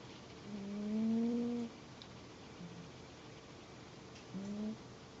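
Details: A domestic cat snores quietly indoors. One longer, steady, low droning snore lasting about a second is followed by a brief faint murmur and then a shorter snore near the end, with light room hiss throughout.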